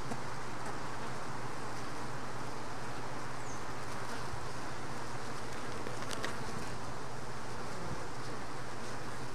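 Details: Honey bees around a hive box where a worker tried to remove a mite, then walked inside; constant low humming drone of bees with a few faint clicks.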